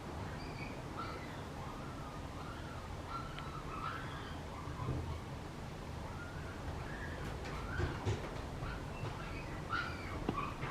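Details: Male Papillon puppy born on 16 July, giving a string of thin, high whimpering whines that arc up and down, some with faint overtones, scattered across the clip over a steady low background hum.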